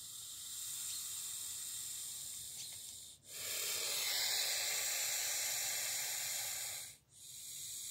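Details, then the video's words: A grumpy snake met on a morning dog walk hisses in long broadband bursts of breathy noise, each lasting several seconds and broken by brief silent pauses between exhalations. "a grumpy snake (sound on!)"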